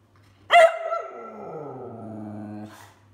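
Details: A complaining Whippet gives a sudden high yelp that settles into a long, steady, moaning whine of about two seconds, gently sinking in pitch before it breaks off.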